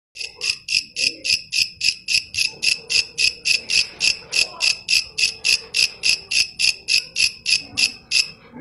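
A grasshopper stridulates in steady, raspy buzzing pulses, about three or four each second.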